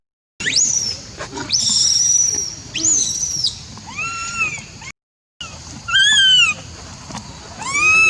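A monkey gives shrill, piercing screams that arch up and fall away in repeated bursts.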